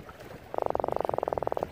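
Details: Freshly caught croaker held by an angler, drumming, a sound made by rubbing together crushing teeth in its throat; a rapid, even train of about twenty low knocking pulses lasting roughly one second, with faint outdoor background.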